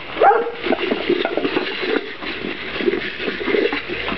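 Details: Kuvasz puppies eating dry food for the first time; a short high whimper rises and falls near the start, followed by steady crunching and clicking of kibble and small bowl noises.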